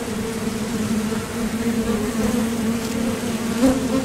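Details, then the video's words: Steady low drone of many honeybees at a Top Bar Hive entrance, workers coming and going while foraging for nectar; the hum holds a constant pitch with a clear upper overtone and slight waver throughout. "Bees Sound Effects"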